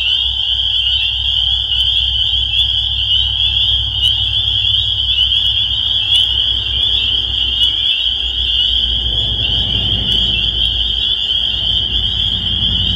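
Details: Chorus of spring peepers, countless high piping peeps blending into one unbroken shrill ring, over a low rumbling background like distant traffic or wind.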